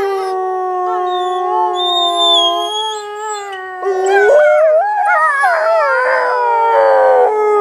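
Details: Chorus of wolves at Wolf Howl Animal Preserve on a snowy play day: steady drawn-out howls held on even pitch, joined by rising and falling voices that tangle into yipping, quavering cries toward the end.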